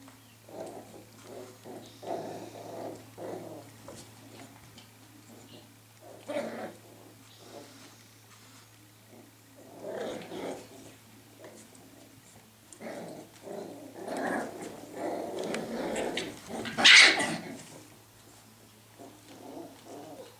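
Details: Scottish Terrier puppies giving rough, throaty growls in short bursts, repeated every second or two across the stretch and building to a louder, harsher peak near the end, with a steady low hum underneath.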